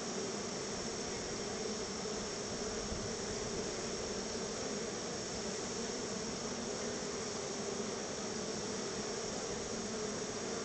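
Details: Honey bees swarm out of the hive to see whether a honey treat is coming. A steady, droning hum holds level the whole time over a hissing background.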